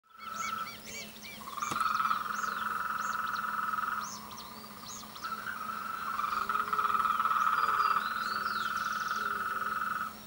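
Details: Frogs calling together in mating and courtship season: long, steady buzzing trills at mid pitch overlap and swell, dropping briefly near four seconds, with scattered higher chirps and a constant low hum beneath.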